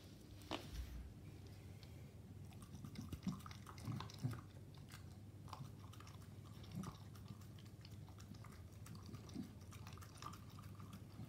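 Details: Staffordshire Bull Terrier named Koro eating raw meat mixed with dog food; wet smacking chews and sharp crunching clicks come in irregular bursts, loudest around four seconds, over a steady low hum.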